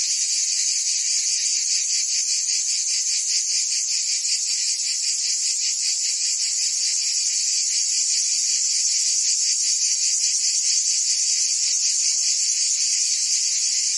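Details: Cicadas singing in summer in Provence, France: a dense, unbroken high buzzing chorus with a fast rhythmic pulsing throughout, steady in loudness, no other sounds standing out.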